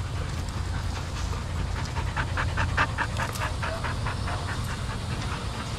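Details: Shelter dogs at play in a daycare group, running about; quick, uneven bursts of short harsh barks or panting repeated over a constant deep hum in the room.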